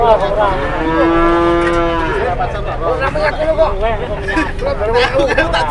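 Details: Bellowing from a cow at a market that would not stand up: one long, even-pitched moo lasting over a second, followed by rising and falling lowing calls over a noisy background.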